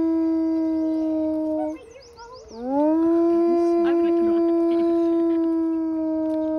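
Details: Gray wolves howling for onlookers at a zoo in Billings, Montana, USA, on May 16, 2021; a long steady tonal howl that breaks, then rises and holds level, with faint chatter and higher yips behind.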